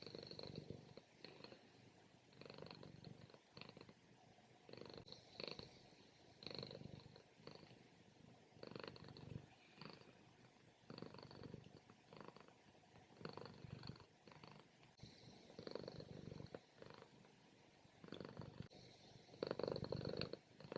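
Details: Napping domestic cat moving from loud purring to snoring during a morning nap; rhythmic rumbling breaths repeat roughly every one to two seconds, low and raspy, growing louder toward the end.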